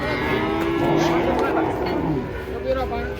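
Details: A huge bull said to be aggressive, jumping down from a truck in Indonesia; a long low moo swelling then fading over about two seconds, with men talking and vehicle noise behind.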